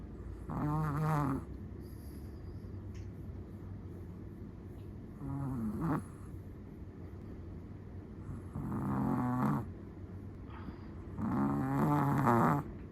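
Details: Four slow, rasping snores from a sleeping Chihuahua, roughly one every three to four seconds, each a low vibrating buzz with a rattling edge, with soft background hiss between breaths.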